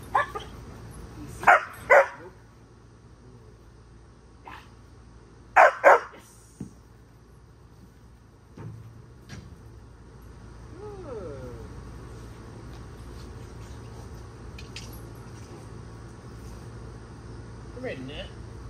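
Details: German Shepherd playing catch with its handler; two quick pairs of sharp, loud barks near the start and again around six seconds, followed by quieter, drawn-out whining tones and low background hum.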